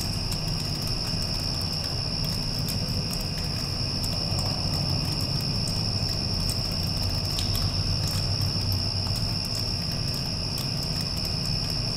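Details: After a storm has passed, crickets keep up an even, shrill, sustained trill while an air conditioner drones loudly underneath, with a few faint clicks and patters.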